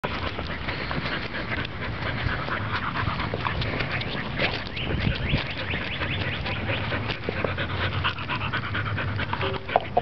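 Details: Corgi and Labrador mix puppy, eight weeks old, panting: a steady, breathy rasp running through the whole stretch with small scuffing and shuffling noises.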